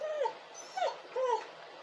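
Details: Crying dog gives three short whimpering whines, each a wavering tone that dips and falls, spaced roughly half a second apart over a faint steady hiss.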